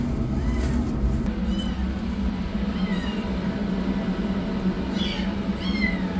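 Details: Rescued kitten meowing as a yellow kitten runs for food and a black kitten begins treatment; high, slightly rising mews come in a spaced series, then closer together near the end, over constant low-pitched humming noise.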